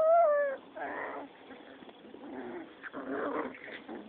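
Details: Six-week-old Rottweiler pups play-fighting: a loud high whining yelp that slides downward opens, followed by rough, rumbling growls in short bursts with brief pauses between them.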